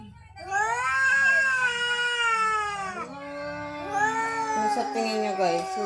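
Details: Visiting cat making a strange sound, recorded around Halloween: one sustained, loud, drawn-out wail lasting about three seconds, dipping in pitch, then a lower, wobbling continuation that turns rough at the end.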